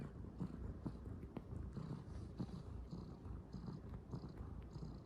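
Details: Calico kitten purring non-stop while kneading at bedding: a steady low rumbling purr, with faint soft rustles over it throughout.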